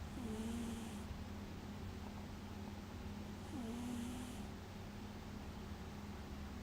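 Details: A sleeping cat snores in slow breaths roughly every three and a half seconds: a soft airy hiss with a low wavering buzzy tone on each breath, over a steady low indoor hum.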